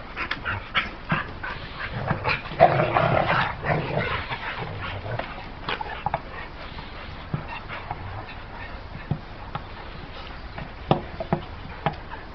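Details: Pit bull dog giving whimpering and short vocal sounds, with a louder harmonic stretch around two to four seconds and scattered sharp clicks and knocks through the rest.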